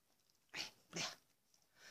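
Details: Belle, a pregnant dog (SWE CH Fromax Tinker Bell) on day 51, happy and content after receiving her whelping box indoors; two short, airy, breathy exhales about half a second apart, against a quiet room.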